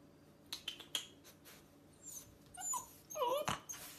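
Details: A Rottweiler puppy on its first day home, stuck on a counter, gives thin, wavering whines that rise and fall, pleading to be lifted down.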